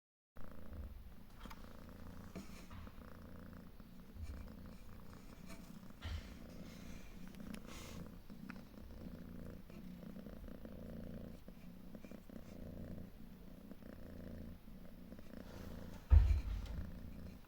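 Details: Steady low rumbling purr from a proud, protective calico mother cat with three kittens of different colours, an abandoned cat now living outdoors with a wooden shelter; continuous pulsing throb with a louder thump near the end.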